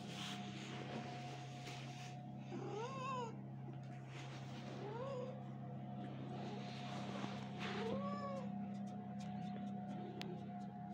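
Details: A kitten playing with its mother cat; three short rising-then-falling meows spaced a few seconds apart, over a steady low hum and soft rustling.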